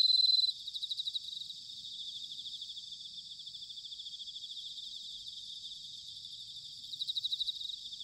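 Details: Autumn bell cricket chorus, Sanuki, Chiba, Japan: a ringing note opens, followed by bursts of rapidly pulsed chirps at the start and near the end, with softer continuous trilling and high insect buzz between.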